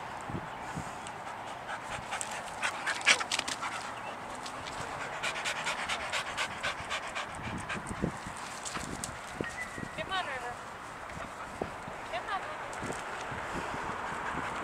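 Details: Pet dog Sadie, worked up and jumping at a squirrel she cannot see, pants rapidly with snuffling breaths, and a brief high, wavering whine rises and falls about two-thirds through.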